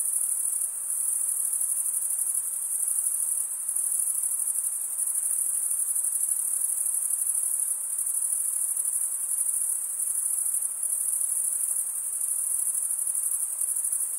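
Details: Crickets, usually males, chirping by stridulation, rubbing one wing's edge along a toothed vein on the other; a dense, unbroken high-pitched trill runs at steady loudness throughout, with faint soft pulsing and no other sounds.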